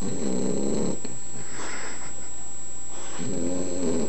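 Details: Sleeping 11-week-old Boxer puppy named Henley gives two low, rasping snores, one at the start and one at the end, with a quiet breathy pause of about two seconds between them.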